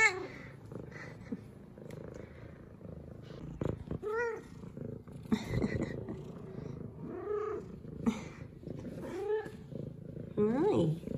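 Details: A female F2 Savannah cat repeats brief, arched meows every second or two, each rising then dropping in pitch, above a low continuous purr, excitedly greeting her owner with headbutts; a woman's soft greetings are heard between calls.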